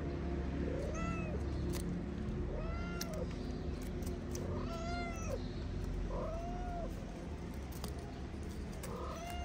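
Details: Meowing from Moroccan street cats as the mother eats and her kittens wrestle on their wooden house; arched meows repeated about every one and a half to two seconds, steady and insistent, with faint traffic behind.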